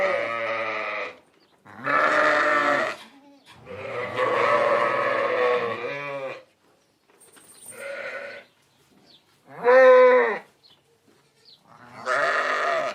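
A sheep bleats repeatedly, each call a harsh, wavering baa lasting about a second.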